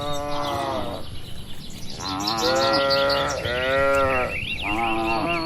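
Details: Moo calls from a herd of tame cattle grazing in a broad oil palm plantation, Indonesia; three drawn-out harmonic lows in quick succession, with bird chirps and twitters above.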